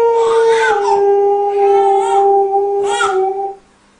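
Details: Domestic dog joining in with a lullaby, holding one long, even howl that dips slightly early on and then fades out, while intermittent breathy vocal or musical bursts sound over it.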